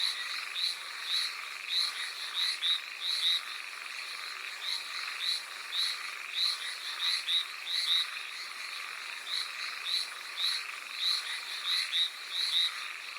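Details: Hallowell's tree frogs on Amami Oshima in the rain: a chorus of short, nasal, metallic notes in irregular runs over a constant rain hiss, with several callers overlapping at similar loudness.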